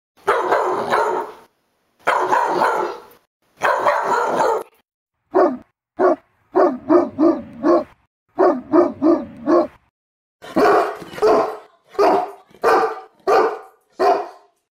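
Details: Large dogs (Bernese mountain dog, Anatolian shepherd, Saint Bernard) bark angrily: deep, loud barks, first three long gruff bursts, then quick clipped woofs in rapid runs.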